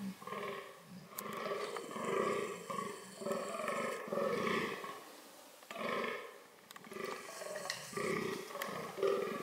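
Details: Fallow deer vocalising in a reproductive context: rough, throaty groans grouped in two main bouts, each a rapid sequence of guttural pulses, separated by a quieter pause near the middle.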